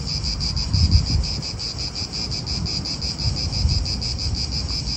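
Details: Pulsing high cicada buzz fills an Italian park, beating steadily, while strong wind gusts rumble loudly in the low range and swell twice.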